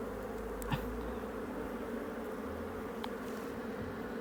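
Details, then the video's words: Wild honey bees in a hollow tree in Cambodia, disturbed as their nest is opened for honey: a steady, dense low buzzing drone throughout with a brief click near the start. "Wild honey bees in a hollow tree"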